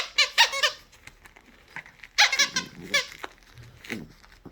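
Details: Pet poodle indoors, asked to give its paw, answers with high, squeaky whines in short harmonic bursts, two clusters about two seconds apart, then softer fading whimpers; a person repeats the command between calls.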